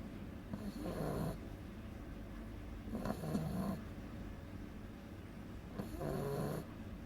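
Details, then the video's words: Agatha, a 2-month-old beagle puppy, snores quite loudly while asleep. Three rasping breaths come roughly every two to three seconds, each a low, rough drone with a hissy edge, with quiet room background between them. "Beagle cachorro roncando"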